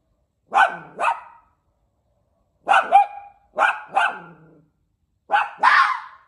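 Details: Red fox raised with a dog, trying to bark: hoarse, rasping double barks in four bursts separated by short silences, the last one noisier and breathier, in a quiet setting.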